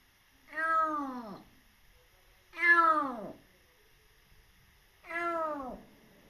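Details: Wary rescued kitten, just over three months old and in foster care, meows three times at roughly two-second intervals, each cry starting high and sliding down, in a quiet room.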